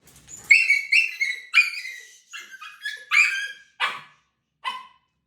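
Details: Fearful puppy around six months old, afraid of new people, pressure and handling: loud, shrill, harmonic screams and yelps in rapid bursts, some wavering, trailing into shorter cries near the end.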